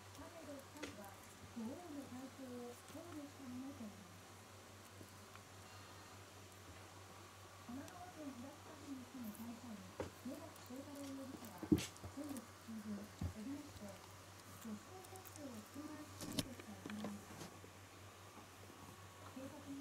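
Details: Shiba Inu puppy, about five days into its new home, known for crying at night every 1.5–2 hours after lights out. Soft, wavering, low moaning whimpers come in short arcs and repeat through the whole stretch against a quiet indoor background.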